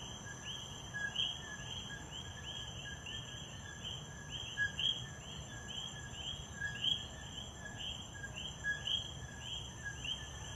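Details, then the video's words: Coqui frogs in Puerto Rico calling as a dense chorus: many overlapping two-part calls, a short lower note then a higher upswept chirp, repeating continuously, over a steady high insect hum and low rumble. "Coqui Coqui. En Puerto Rico"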